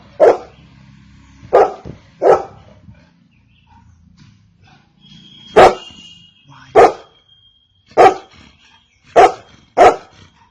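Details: Golden Retriever barking in bursts: eight clipped barks over about ten seconds over a low rumbling background, with a steady thin high tone running through the middle section.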